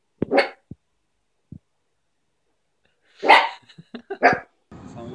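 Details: Dachshund pet barking in short sharp bursts, a single yap at the start and then a cluster of louder barks, with soft rustling at the end.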